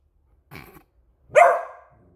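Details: A Beagle, Ollie, gives a soft, short yip, then one loud, full-throated bark. He goes into alert mode and keeps barking whenever his new squeaky toy comes out, while a person urges him on.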